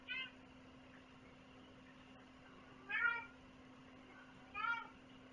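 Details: Domestic cat giving three clear meows, each short and bending in pitch, spaced roughly every two seconds, against a quiet room with a constant low hum.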